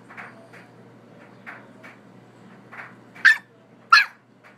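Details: A young bully-breed puppy barks to wake its sleeping owner: a few soft, muffled yaps, then two sharp, high-pitched barks about a second apart near the end, over a faint steady hum.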